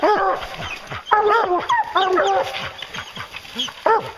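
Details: Bear-hunting hounds giving short bawling barks with clear harmonic bands, mixed with yips and a few higher calls, the barks arriving irregularly over a few seconds.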